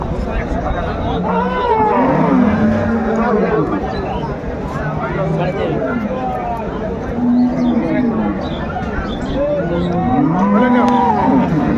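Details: Cows and calves at Ambari Haat cattle market, Dinajpur, 21 March 2025: several arching moos overlap and repeat through the clip, some rising then falling, against a constant hubbub of voices and trading.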